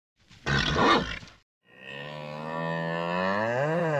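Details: Nervous bull giving a harsh, noisy snort burst, a short silence, then a long, drawn-out harmonic bellow that swells slightly and bends near the end.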